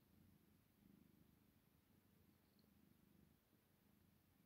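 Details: Two tired tabby cats purr steadily while falling asleep, a low rumbling vibration with soft rhythmic pulses.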